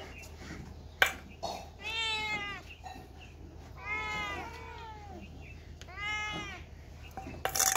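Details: Cats and kittens meowing: three clear, harmonic-rich meows, each about half a second to a second long, arched in pitch, spaced roughly two seconds apart, with a sharp click near the start and faint background rustling.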